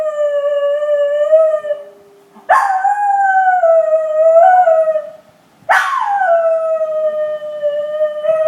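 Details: Schnauzer named Money giving long, steady, tonal howls, each held a couple of seconds before a brief pause, then starting again with a sharp rising onset.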